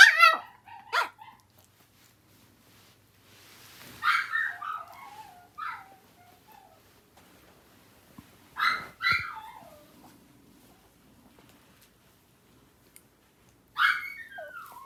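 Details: Household dogs, Yorkshire terrier and Maltese sisters, calling to each other indoors: short high yips and whining cries in clusters with long quiet gaps, each cry bending downward in pitch.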